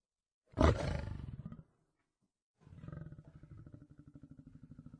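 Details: Lion roaring: a deep, rough roar of about one second, then after a short silence a long run of low, rhythmic pulsed grunts.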